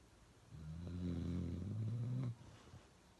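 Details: Uno the dog snores loudly, one steady low rumbling snore of about two seconds with a slight rise in pitch toward the end, ending abruptly into near silence.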